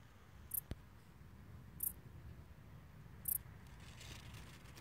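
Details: A grasshopper, hidden from view and only faintly audible, gives short, high, hissing chirps repeated about every one and a half seconds.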